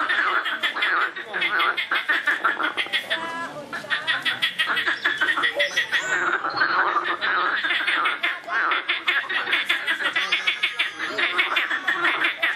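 Many frogs calling together in a dense, continuous chorus of rapid, rattling croaks.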